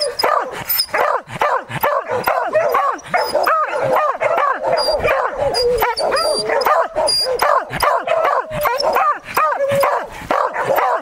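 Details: Beagles and Beagle-Harriers baying at a standstill while holding a wild boar at bay during a hunt; dense, overlapping yelping barks with arched, howling notes repeating rapidly throughout, several dogs calling at once, briefly a person's voice.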